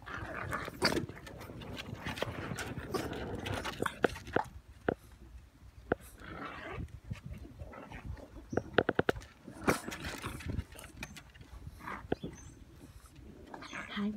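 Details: English Bulldog; whines; puppies wanting attention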